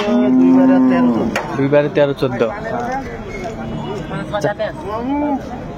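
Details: Cattle at Ambari market, Dinajpur, where improved-breed dairy cows and calves are traded, 10 February 2025: a sustained, flat-toned moo opens, followed by bargaining voices and a short rising-falling low call at the end.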